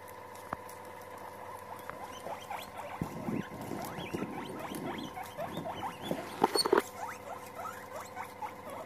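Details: Several guinea pigs meeting and getting together: a rapid stream of short, rising squeaks and chirps, sparse at first, then busier and louder in the second half, over a steady low electrical hum.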